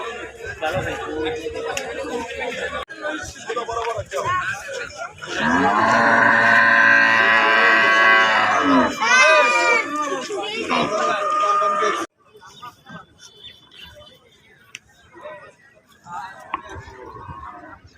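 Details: Cattle, bought for the Qurbani sacrifice in 2024, give a loud, drawn-out, harmonic moo for about four seconds. A short rising call follows it, with voices throughout and a quieter stretch of background sound at the end.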